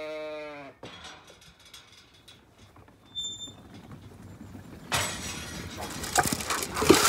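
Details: A hungry Zwartbles sheep on a farm in County Kilkenny, Ireland gives a short, low bleat, then loud crunching and rustling as it munches right at the recorder.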